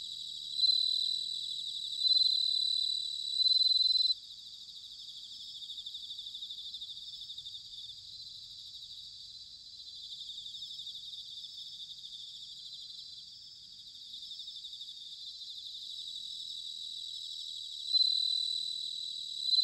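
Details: Autumn bell cricket recorded in Sanuki, Chiba Prefecture, Japan, giving bright, high-pitched ringing trills in a quick run of three near the start and two near the end, with a soft continuous insect chorus between them.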